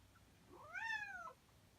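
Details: Nak G, a male house cat born in May 2017, waits at home for his owner to return from work and play with him. One clear meow sweeps up and then slides down, lasting under a second, against soft indoor background.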